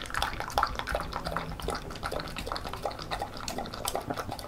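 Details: Female Beagle eating homemade banana porridge indoors; dense wet lapping and slurping, continuous and splashy, over a low room hum.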